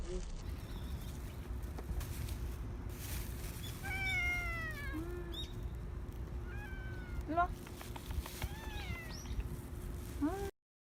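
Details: Injured stray cat returning to a feeding spot, November 2018, South Korea: several short, thin, arching meows, some rising then falling, scattered between a woman's Korean speech and low outdoor background noise.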